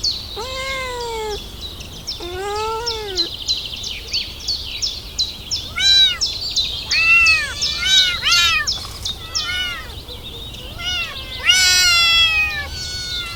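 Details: Kittens crawling around and asking for their mother's milk: a run of high, arched mews, each rising then falling, some overlapping, at irregular intervals of about a second, with steady high chirping in the background.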